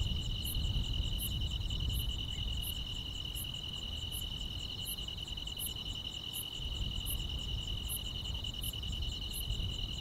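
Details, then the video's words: Quiet rural summer night filled with grass insects: an unbroken high buzzing trill and evenly spaced piercing chirps repeat steadily above a heavy low-frequency rumble. "여름밤의 포근한 풀벌레 소리"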